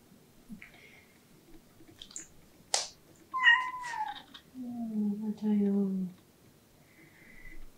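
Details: Domestic cat named Latte, indoors, giving its once-a-day pleading 'ang-ung' cry, often made in front of doors: a sharp click, then a short bent meow sliding down and a long, low, drawn-out moaning meow in a quiet room.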